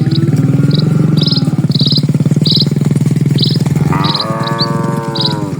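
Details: Dozens of cattle crossing a rural village road: a long low pulsing rumble fills the first four seconds, then a single rich, sustained moo follows, with quick high bird tweets repeating over the top.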